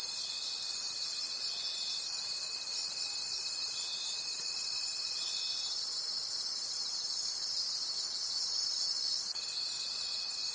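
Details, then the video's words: Night-time forest crickets form a shrill, rhythmic chorus that throbs roughly three times per second. A steady high tone runs beneath it, fades out midway, then comes back in the last second. "Cricket Conversations at Night"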